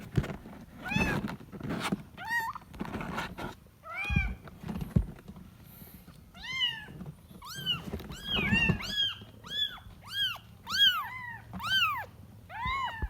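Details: Kitten calling while looking for its mother: thumps and handling noises open, then a fast, insistent run of short arched meows, more than a dozen in the last seven seconds, some overlapping.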